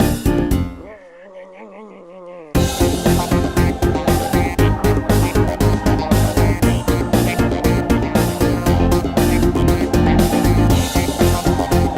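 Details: Short wavering melodic phrase, then rhythmic electronic music with a regular pulsing beat fills the rest; no animal voice.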